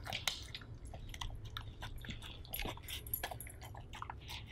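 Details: Siberian husky indoors eating a beef stew dinner: a steady run of wet smacking, crunchy biting and chewing clicks, irregular and quick, with a low background hum.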